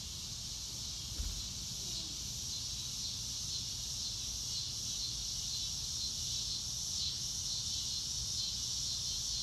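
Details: Crickets recorded in real time outdoors, a steady high-pitched shimmering chorus that never lets up, with a soft low rumble underneath and a brief thump near the start.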